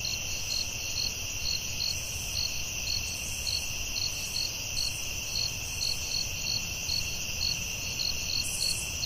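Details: Forest crickets calling after dark: rapid, evenly spaced shrill chirps layered over an unbroken ringing trill, the whole chorus steady and dense from start to finish.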